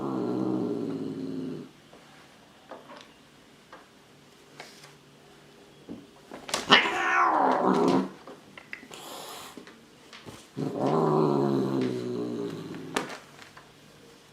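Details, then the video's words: Angry cat yowling in three separate bouts, a low moaning wail at the start, then a sharper rising-and-falling cry, then another wavering howl, with clatter and rustling in between. "ANGRY CAT"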